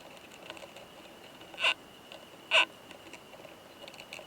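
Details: A mating pair of Oomadarakokunusuto beetles found in high-mountain pine woods. The male produces two strong, dry clicks almost a second apart amid soft scattered ticking, with a constant thin high tone behind.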